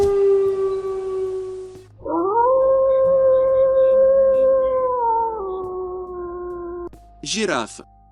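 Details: A wolf's single long howl that swoops up, holds steady for about four seconds and falls away at the end. Background music plays throughout, and a brief high chirping sound follows the howl.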